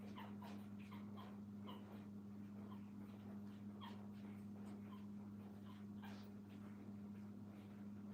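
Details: At a puppy training kennel, young pups beside their mother whine in brief high, slightly falling whimpers, several in quick clusters during the first half and again near the end, against a steady low drone.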